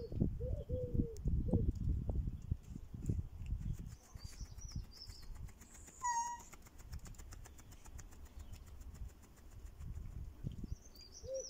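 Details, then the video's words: Several cats greeting their owner at a bench with meows and purring: a few short, low meows at the start, then one clearer, higher meow midway. Heavy rustling and handling noise throughout, with faint chirping birds in the background. "Adorable Cats greeting their owner at a bench while meowing and purring"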